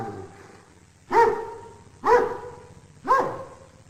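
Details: Dog barking three times at roughly one-second intervals, each bark a sharp harmonic burst, loud and clear against a quiet background.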